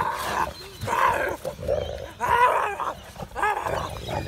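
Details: Two Boerboel dogs, Molly and Mumma, playing together, giving rough, rumbling growls and snarls in harsh bursts about once a second, some rising into throaty harmonic whines between louder outbursts.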